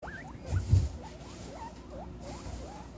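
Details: A herd of guinea pigs at Comfort Cavies at supper time, being fed a vegetable buffet; about eight short, thin squeaks that rise and fall in quick succession over three seconds, set against a low indoor rumble.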